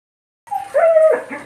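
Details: German Shepherd puppies giving a short, high, nasal whine after a moment of silence: a thin opening note, then a steady drawn-out tone that bends downward at the end, followed by a softer trailing whimper.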